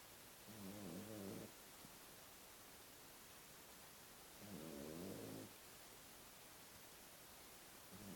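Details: Puppy snoring while asleep after two hours of intense play: two low, rough, buzzy breaths about four seconds apart, each lasting about a second, over a steady quiet hiss.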